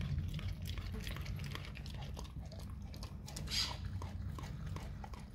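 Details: Dog chewing raw cow tongue with moist, irregular smacks and bites, one brief brighter crunch midway, above a steady low-pitched drone.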